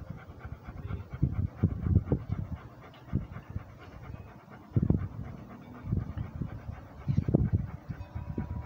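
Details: Heavy, rhythmic breathing from a Rhodesian Ridgeback on a walk: clusters of low, rasping pants rising and fading in waves, with brief quieter gaps between bursts.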